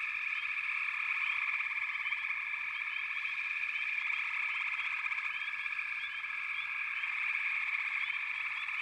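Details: Continuous frog chorus of countless overlapping voices, a bright buzzing trill sustained throughout, with scattered brief upward chirps standing out from the drone.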